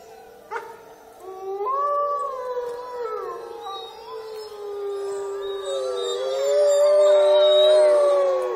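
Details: Wolves howling at Olomouc on 29 August 2013: several long, smooth, overlapping howls that swell, waver and slide in pitch, with one voice rising to a high, drawn-out note near the end and a sharp click early on.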